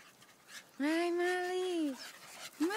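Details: A pet Staffordshire Bull Terrier, one of several staffies, holds a steady, drawn-out whine for over a second, then a shorter rising whine follows, over soft background breathing.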